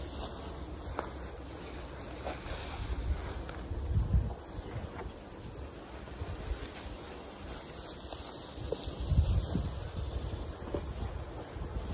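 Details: Outdoor rural ambience with steady low wind rumble buffeting the microphone, a few soft knocks and thumps around four and nine seconds, and no animal voices heard.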